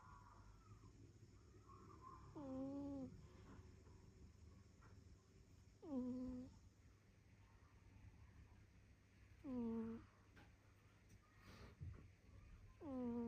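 A sleeping cat snores with short, nasal, slightly whistling breaths every three to four seconds.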